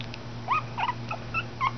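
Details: Schipperke puppies born June 2011 in Oklahoma, giving four or five brief high squeaky whimpers with bent, rising-falling pitch, over a low steady hum.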